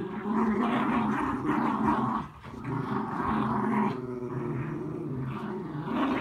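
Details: On a rainy day, a Miniature Schnauzer takes its frustration out on a mat with loud, continuous, rumbling growls that dip briefly midway, then resume with steady intensity.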